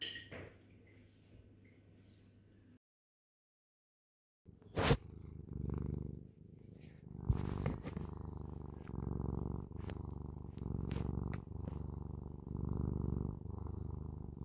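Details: Pet cat purring indoors, a low rumbling purr pulsing about four times a second, steady and continuous after a brief silence, with a few sharp clicks and knocks of handling overlaid.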